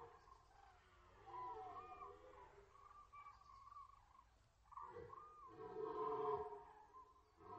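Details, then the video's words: Red deer rut at the Orzysz military range, from an archival recording: more distant, softer guttural roars in two main bouts, the second louder and harsher, with quieter gaps between them. "Archiwalne rykowisko na poligonie Orzysz"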